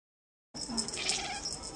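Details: Charlie, a Maine Coon cat at an animal shelter, watches a feather toy and gives a brief, breathy, chirring call with a faint low whine underneath.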